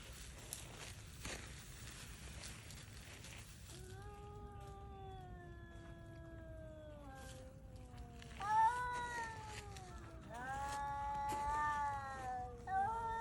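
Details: Stray cats, worn out by cold and hunger, setting out to hunt for prey; long drawn wailing cries with several voices overlapping, sliding slowly downward, quiet at first, louder wavering screams in the second half.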